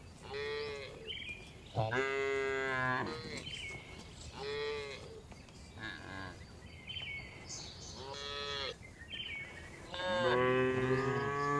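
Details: Tame cows being herded back to the barn in the afternoon on a village farm, mooing in a series of harmonic calls, some short and some drawn out over a second, with several overlapping voices and faint higher whistle-like sounds.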